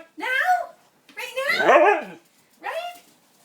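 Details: A male Siberian husky gives three wavering, talkative howls to ask for his dinner.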